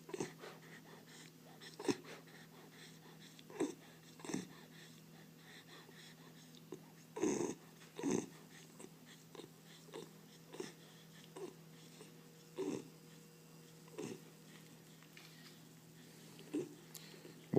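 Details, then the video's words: Bull terrier asleep indoors, snoring nonstop, likened to a little pig: short breathy snorts and wheezes every one to two seconds, unevenly spaced, over a steady low electrical hum in a quiet room. "Bull Terrier Roncando"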